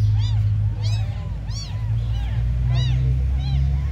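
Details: High, piercing mews from a group of abandoned kittens, repeated arching cries coming several per second with brief gaps, set against a continuous low rumbling background.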